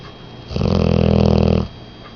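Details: English Mastiff, female, 10 months old, snoring: one long rattling, buzzy snore lasting about a second, low and deep with a pulsing throb, between quiet pauses indoors.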